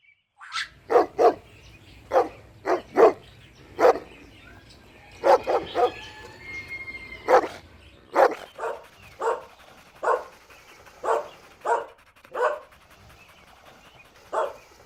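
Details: Dog barking outdoors while puppies play a toy battle with their mother; short sharp barks in irregular bursts, about a dozen over fifteen seconds, some doubled, with faint squeaky whines between.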